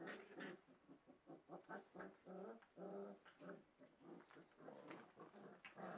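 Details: Welsh Springer Spaniel puppies, four weeks old, filmed at Kennel Lurhaug on 9 March 2011; rapid pulsed growling and whimpering in short harmonic bursts, several per second, with soft indoor room noise.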